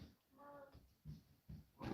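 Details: A puppy chewing and play-fighting with children and dogs gives a brief high whine and low, rough growling grunts, with giggling around her.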